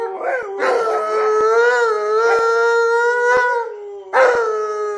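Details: An Alaskan Malamute indoors, yelling at its owner to stop working and play, gives a long, mid-pitched, wavering 'woo' howl for over three seconds, then a second rising yell breaks in, with faint clicks behind.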